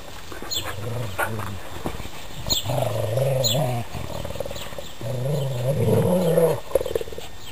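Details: Pet dogs playing tug of war with a sock, giving deep rumbling growls in pulsed bursts of about a second each, with snuffling and scuffling noises between them.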